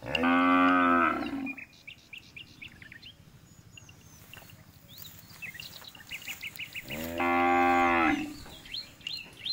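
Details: Two loud moos from a jumbo bull frame the stretch, each a steady harmonic bellow just over a second long. Between them, birds chirp and tweet against a low background rumble.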